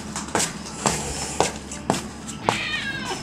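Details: Stray cats on a seaside deck on a peninsula one morning, being fed beef, with a kindly stray watching a kitten; soft clicking bursts roughly twice a second, then a brief, thin, high meow near the end.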